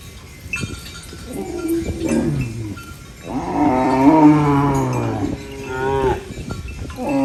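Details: Cow mooing while eating banana leaves on a farm: one long, deep, drawn-out moo that swells and fades over about two seconds, preceded by shorter low grunting lows, with rustling in the background.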